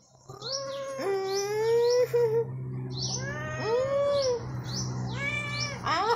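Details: A pet cat described as able to talk makes several clear, loud meows: a long, level, slightly rising one, then shorter arched calls that rise and fall. Bird chirps sound throughout over a steady low hum.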